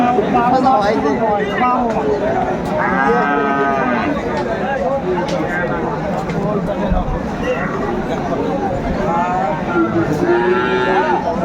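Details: Bull calves of Friesian and cross breeds, Aftabganj cattle market, Dinajpur, Bangladesh, 10 September 2024: overlapping moos from several animals, a loud one midway and another toward the end, with constant crowd talk behind.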